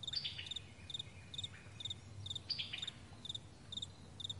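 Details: Meadow crickets at morning: crisp, high double-pulsed chirps repeated roughly every half second in an even rhythm, with faint sliding bird notes behind them.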